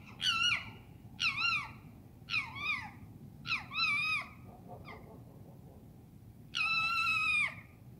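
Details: Night screams of foxes in London: four short, rasping harmonic cries in quick sequence, a pause, then one long, sustained level scream, with a steady low hum beneath.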